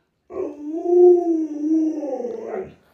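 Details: Pet Alaskan Malamute giving a single smooth, drawn-out howl of about two and a half seconds, steady and mid-pitched with rich overtones, ending in a slight upward lift; otherwise quiet.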